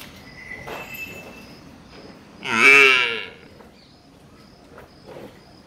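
A water buffalo calf gives a single short, harmonic bawl that rises and then fades.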